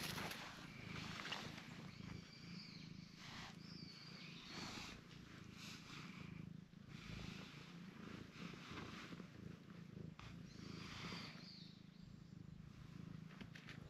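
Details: Cream-coloured cat that enjoys having its face petted and kicks in protest when its body is touched; a steady low purr runs throughout, with soft rustling and faint handling noises over it.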